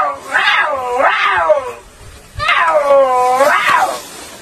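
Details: Puma, first of several cat-family animals presented. Four loud, whining, meow-like calls come in two pairs; each rises and then falls in pitch, with a short pause between the pairs.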